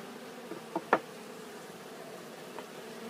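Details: Pollen-carrying honeybees arrive back at a hive on Glen Bee Farm: a constant low humming chorus of wings, broken by a couple of short clicks and taps in the first second.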